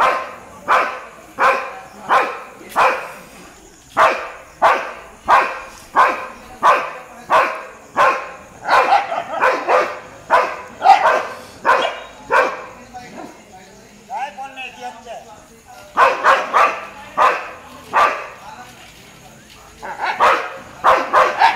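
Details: Street dogs barking at a Labrador, a long run of rapid repeated barks, sometimes two dogs overlapping, broken by a brief lull with softer vocal sounds before the barking resumes.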